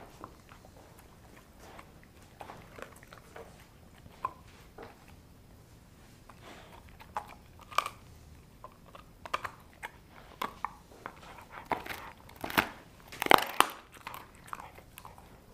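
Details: Sasha the dog tries dried kangaroo bone and jerky chews sent from Australia. Quiet at first, then sharp crunches grow louder and closer together, with a cluster of loud bone-crushing snaps near the end.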